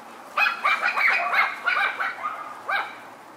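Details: Four white Miniature Schnauzer puppies, sisters born on 9/10. They give a quick run of high, squeaky yips and short barks, roughly three a second, with overlapping voices. A lone yelp follows after a brief pause.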